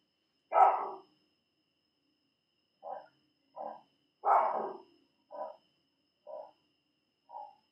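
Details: At night at an African safari camp, baboons give loud, harsh alarm barks, warning each other of a leopard prowling the camp; a hyena, probably following the leopard, may also be heard.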